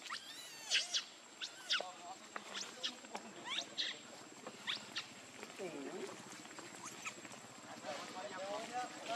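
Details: Lucie, a baby monkey very hungry for milk, cries in a series of high, thin, arching squeals, rising and falling sharply, repeated in quick bursts with brief pauses between them against a soft background hiss.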